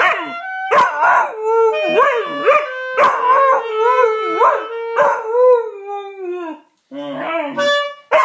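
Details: Pet dog howling at a clarinet; drawn-out sliding howls with wavering, falling pitch and short yelping breaks, over sustained clarinet notes in the background.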